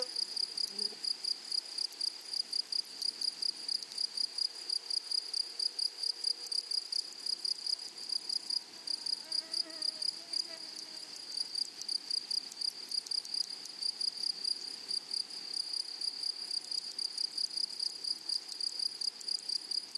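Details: High, thin, pulsing chirps from grasshoppers in a flowery prairie meadow. They repeat rapidly and evenly for the whole stretch. Faint low murmuring sounds appear briefly near the middle, under the insect's constant bright ringing.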